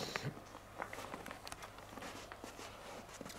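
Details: Quiet indoor footsteps and faint shuffling with a low steady hum, and no animal sound.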